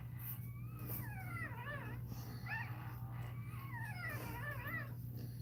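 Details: Cane Corso crying during the labour of Cashmere, another Cane Corso: high, wavering whines that rise and fall in quick wobbling arcs, in two bursts around one and four seconds in, over a steady low electrical hum.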